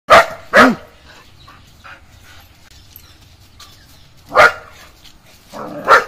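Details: German Shepherd dog protecting its home, giving loud single barks: two quick barks at the start, then a long quiet gap, then two more spaced barks near the end.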